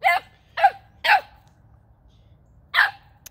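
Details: Young male Boxer, nine weeks old, barks at an unfamiliar ball in his first real barking after only yelping before. Three quick barks half a second apart, a pause, then one more.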